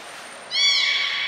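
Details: Captive belugas Hodoi, Taanya and Mirai at Port of Nagoya Public Aquarium, Japan, on 23 February 2021, during pool transfer and training; after a quiet half second, one bright, harmonic-rich whistle starts, dipping slightly and then holding steady.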